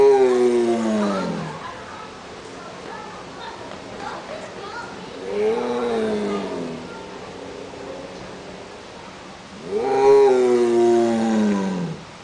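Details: A caged tiger at a zoo in Omaha, Nebraska, gives three drawn-out, moaning roars, each sliding downward and spaced about five seconds apart, possibly around feeding time.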